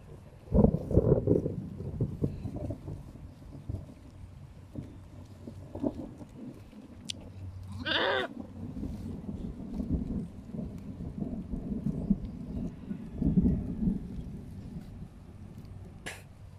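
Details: Philippine native goats ready for breeding, males and females in mating behaviour; one strong wavering bleat halfway through, surrounded by loud low rustling and thumping movement noise with a few faint sharp clicks.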